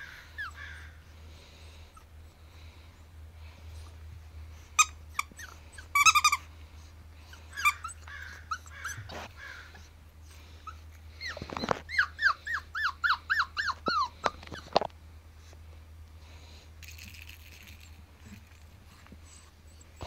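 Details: Male Pomsky pup at seven weeks, white coat, mostly quiet with clicks, then a run of about ten quick, descending whimpers close together, fading into faint rustling.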